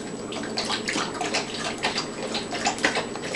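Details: Running water splashes steadily in a small indoor room, like a bath being filled or a dog being washed, with scattered drips and no animal voice.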